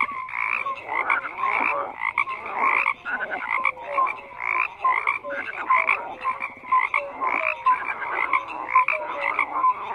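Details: Frogs croaking together: bursts of harsh croaks roughly every half second mixed with brief bright whistled notes, a busy layered chorus.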